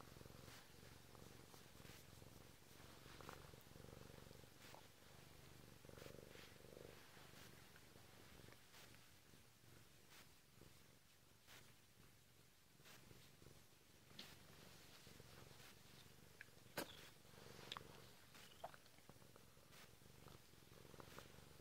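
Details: Bengal cat purring as it wakes its owner indoors; a long, even low-pitched rumble with faint rustles and a few small clicks late in the stretch.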